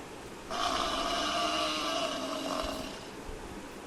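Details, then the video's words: Buffalo voicing one sustained, buzzy moan of about two and a half seconds, holding an even pitch before fading out. "Buffalo Sound Effect"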